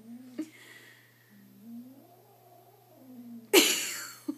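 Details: Apollo, a kitten three days in his new home, facing his reflection in a mirror for the first time, taking it for another cat and wanting to attack; low wavering moaning growl rises and falls, then a sudden loud hiss bursts out near the end.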